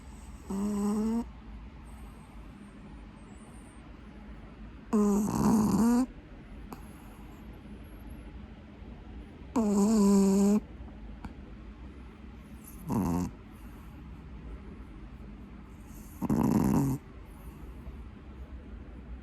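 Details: A sleeping 8-month-old Pekingese snores loudly: five rasping, whistle-tinged snores, each about a second long, coming roughly every four seconds with faint breathing between them indoors.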